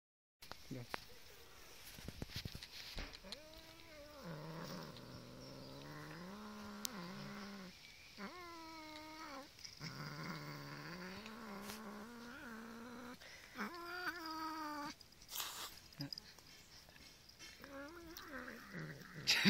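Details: Pet domestic cat growling while playing tug of war over a chicken leg; long, drawn-out, wavering moaning growls come in several phrases separated by short pauses, with faint household noise behind.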